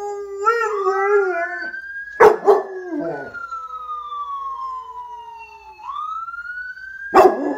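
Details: Pet dog howling in reply to a passing ambulance siren; a wavering, quavering howl opens, then the siren's long smooth falling and rising wail dominates, broken by sharp clattering knocks.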